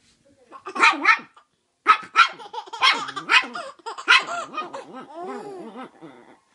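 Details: A Chihuahua on a bed indoors gives sharp, high barks in quick bursts while a baby in a Christmas Santa hat laughs at it.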